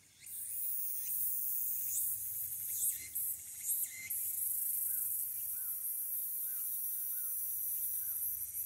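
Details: Walker's cicada heard from the Aburayama Kannon observation deck, Fukuoka City, Japan, on 22 August 2022, taken with a smartphone: a sustained high hissing drone with a few pulsed bursts early on and soft chirps below.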